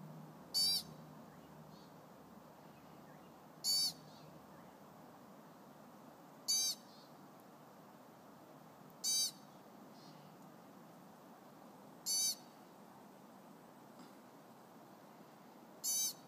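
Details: Chipmunk on the Pacific Crest Trail, loud and unhappy about people nearby: sharp high chip notes repeated about every three seconds, six calls over a steady low background hiss.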